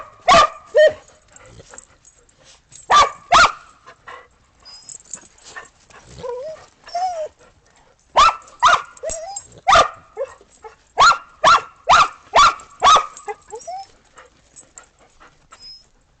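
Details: Australian Shepherds and a Boston Terrier playing in snow after a snowstorm, 12 December 2022; loud sharp barks come in bursts, several quickly repeated, separated by brief whines and quiet gaps.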